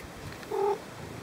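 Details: A big adult male Maine Coon (Felis catus) gives one brief, steady, mid-pitched meow indoors, seemingly voicing his opinion on a dry cat food when asked about it.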